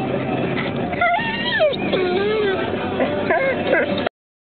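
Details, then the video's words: Quincy, a black Labrador Retriever, screams in a car while wearing his new seat belt; high, wavering whines rise and fall between about one and four seconds, mixed with human speech and steady vehicle noise. "Quincy hates his seat belt"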